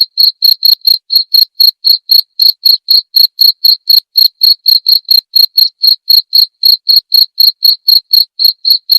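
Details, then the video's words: Cricket chirping, prepared as masteran training audio for songbirds and for therapy. High, even pulses run without a break for the whole stretch, about four chirps each second. The background is quiet. "TERAPI DAN MASTERAN JANGKRIK"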